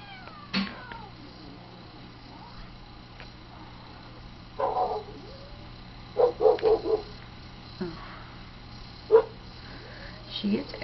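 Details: Tiger, a pet cat, angry because another cat, KcKillercat, wants up on the outside window ledge too; short harsh yowling bursts come in a cluster around the middle, with a few scattered grumbles and quiet room background.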